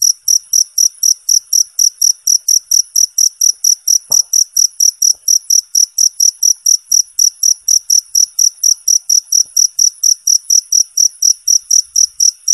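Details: Cricket singing, played to competition birds as a master sound. Crisp, high trilling chirps repeat quickly and evenly through the clip, loud and clear, with only faint soft knocks behind.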